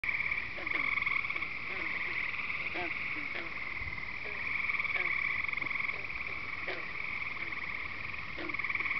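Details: Frogs and peepers calling at night at Devil's Lake, Wisconsin: a continuous high trilling chorus with steady bands of sound, plus short clicking calls repeated roughly every half second underneath.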